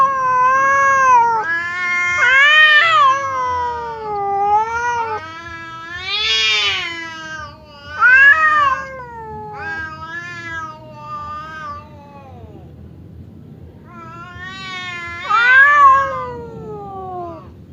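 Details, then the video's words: Cats Temon and Lelo growl-yowl at each other through a barrier in a pre-fight confrontation; continuous wavering, moaning caterwauls with strident peaks that swell and fade, a quiet stretch, then one more loud wail. "SUARA KUCING BERANTEM | cat fight sound effect"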